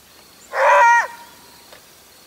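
A maned wolf gives one loud, hoarse bark lasting about half a second. It rises slightly in pitch and trails off against a quiet background.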